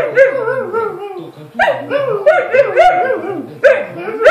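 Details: A Romanian dachshund (teckel) answers the owner's father with varied yowling, talking-like vocalizations that rise and fall in pitch.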